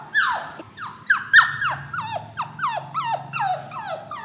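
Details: Whimpering puppy shut in a cage before departing to its new owner. About a dozen sharp, piercing cries in four seconds, each starting high and swooping down, over a faint low hum.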